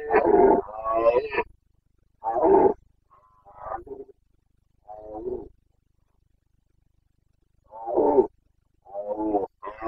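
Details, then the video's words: Carpathian red deer stag roaring in the Bucovina mountains, Romania, during the autumn rut of 2022: a series of six or seven gruff, guttural bellows of varying length, separated by silent gaps of one to three seconds. "Boncănit / Carpathian stag Breeding season"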